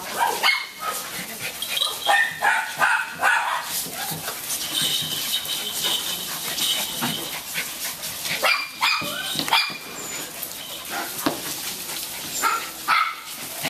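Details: Several SilkyTon and HavaTzu puppies from Central Pennsylvania give sharp, high-pitched yaps and drawn-out whimpers in quick, uneven bursts, some squeals held longer, with a little faint human speech in the background.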